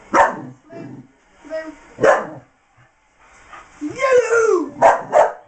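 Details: Blaze, a miniature English bull terrier bitch, frustrated at a box hiding her toy: short sharp barks around a drawn-out descending whine, with a person's voice heard between the barks.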